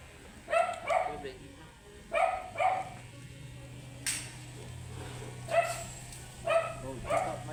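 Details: Matted Shih Tzu, angry while being groomed, barking in sharp, high, ringing bursts, about eight in seven seconds, some in quick pairs, over a steady low hum of grooming equipment.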